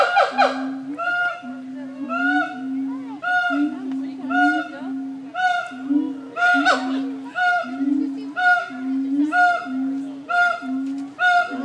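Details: Siamang apes at Nashville Zoo calling loudly: a steady low droning tone runs under repeated bright, harmonic-rich barking hoots that come about once a second, some sliding upward, for the whole stretch.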